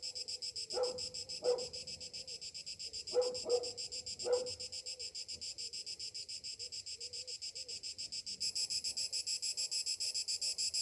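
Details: Summer morning cicada chorus, a shrill pulsing buzz that runs throughout. A dog gives five short barks in the first half, and the insect drone swells louder near the end.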